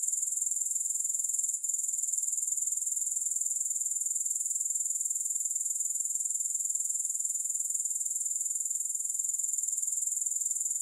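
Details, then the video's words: Grasshopper stridulation as one dense, piercingly high trill of rapid pulses, holding a constant level throughout with only a tiny click early on, free of music or other noise. "Grass Hopper Sounds"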